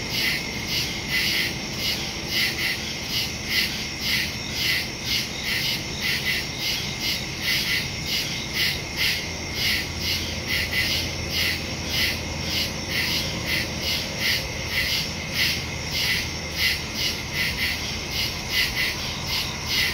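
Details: Crickets calling at night in woodland, recorded September 2, 2023 on a Samsung Galaxy S22 Ultra phone with a Shure MV88+ stereo microphone; steady high shrill pulsing, overlapping chorus with rapid rhythmic beats and faint low background rumble.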